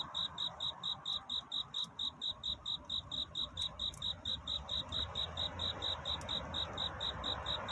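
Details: Cricket in courtship song through the night toward dawn, pulsing bright high-pitched chirps at a regular pace of roughly four a second, unbroken, with faint low rumble beneath.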